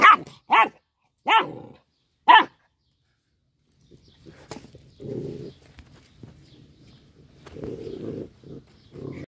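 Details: Four quick sharp barks from a little dog eating fish, followed by pulsing low growls that come and go over several seconds.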